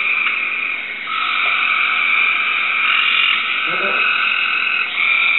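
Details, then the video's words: Cope's gray treefrog, kept as a pet, calling back to a recording: an unbroken rapid buzzing trill, loud and steady throughout, dipping slightly near one second and again before the end. "Cope's Gray Tree Frog Sings to a Recording"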